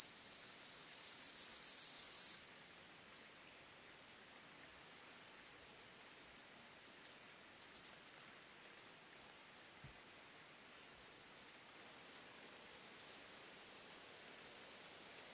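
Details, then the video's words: White-clubbed grasshopper (Gomphocerippus rufus) singing at Elsbethen, Austria, on 18 September 2020: a dense, high, hissing stridulation lasting about two and a half seconds, a long quiet pause, then the rasping song starting up again near the end. "Gomphocerippus rufus -- Rote Keulenschrecke -- White-clubbed Grasshopper"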